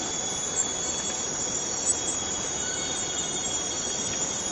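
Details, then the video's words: Cicadas in a forest fill the air with an even, sizzling, high buzz. A single thin steady tone runs alongside it, and a couple of faint clicks stand out. "Forest Cicadas Free Sound effect"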